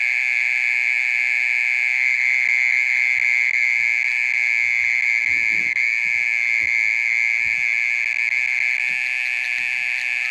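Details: Mole cricket calling at night for over half an hour: a loud, unbroken buzzing trill held at one steady pitch, with bright overtones and no pauses throughout.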